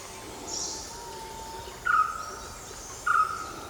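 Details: Indian giant squirrel in dense forest at Thattekad Bird Sanctuary, Kerala, India, giving two loud, harsh, mid-pitched calls about a second apart, over a steady insect hum and a brief high bird note.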